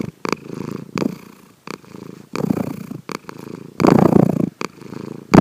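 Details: Sleeping pet cat Sankichi snores at home, recorded without his knowing: coarse, low purring rasps in uneven bouts, roughly forty per minute, the loudest swell near the end, with short sharp clicks between breaths.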